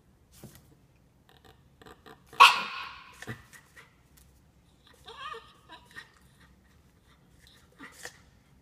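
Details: Norfolk Terrier winning a coffee cup. One loud, sharp bark-like burst, then softer whining yips and scattered quiet rustles and taps in a calm setting.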